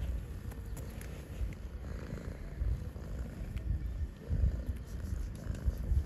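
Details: Pregnant stray cat living outside, seeking human attention: a steady low rumbling purr throughout, swelling in short pulses, with faint scattered clicks and light handling noise above it.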